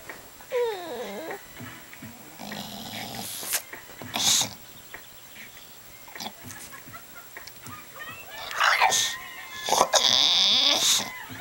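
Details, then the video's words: Bulldog named Colby, seeking his owner's attention, gives a short falling whine early on, then more whimpers later, broken by loud bursts of rustling and thumping noise. "Colby The Bulldog Whining"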